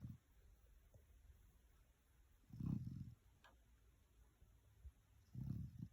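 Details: A Boerboel puppy snoring, with soft, low rumbling snores at about three-second intervals over a faint steady background hiss.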